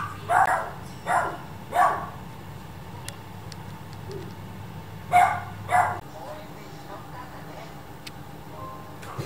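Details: Dachshund puppies, a brother and sister, play fighting indoors: sharp yapping barks come in a quick run of three, then after a pause a pair, over a steady low hum.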